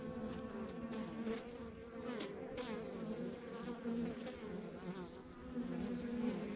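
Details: Honey bees humming at a rural backyard beehive, a dense steady drone with layered low tones and faint shifting whines of individual bees passing close, swelling slightly toward the end.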